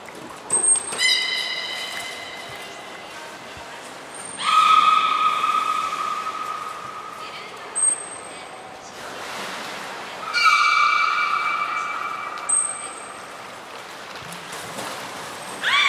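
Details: Captive belugas Hodoi, Taanya and Mirai training at Port of Nagoya Public Aquarium on 14 September 2019. Repeated harmonic calls, some long and level, others rising, come every few seconds, with brief very high thin whistle blips between.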